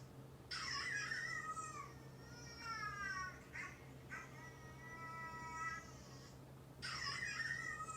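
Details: Domestic cats at home, a neutered two-year-old male orange tabby and a neutered male brown tabby of about three, react to dog barking. Repeated falling, harmonic meows sound over a steady low electrical hum, with harsher noisy bursts at the start and end.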